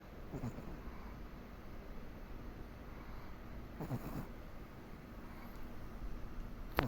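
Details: Komari, a Pomeranian, snoring softly while asleep; faint low snorts at about 0.4 and 3.9 seconds and again near the end, over a steady low indoor hum.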